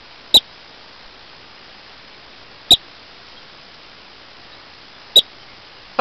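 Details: Rock chuck whistling at people and dogs among big rocks on an evening in western Colorado: three sharp, very short high whistles, spaced about two and a half seconds apart, over quiet background hiss.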